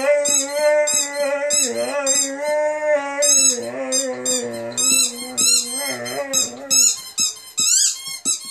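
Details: Zero, a rescue Saluki x Greyhound dog, sings along to a squeaky ball: a steady, mid-pitched howl holds for several seconds with slight dips, while sharp, high squeaks from the toy burst in rhythmically over it.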